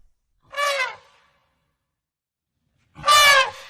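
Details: African elephant giving two short, brassy trumpet bursts about two and a half seconds apart. The second is louder and brighter than the first, with silence between them.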